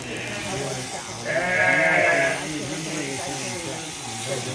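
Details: Sheep during shearing, one wavering, nasal bleat lasting about a second near the middle, rich in stacked harmonics, with people talking and farmyard background noise throughout.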